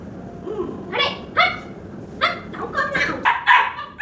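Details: Labrador Retriever puppy playing with a hen, giving a handful of short, sharp barks spaced roughly half a second apart, with a person's voice in the background.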